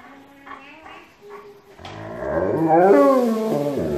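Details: Alaskan Malamute at home singing along with its family in a group choir; faint low humming tones at first, then a loud wavering howl with sweeping, bending pitch swells in and holds to the end.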